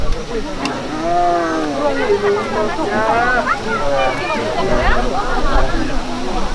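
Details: Tiger cubs, quintuplets 286 days old, at a zoo on 8 April 2022, give repeated whining, wavering 'wueng' calls begging a keeper for meat during snack time and a health check, with people talking nearby.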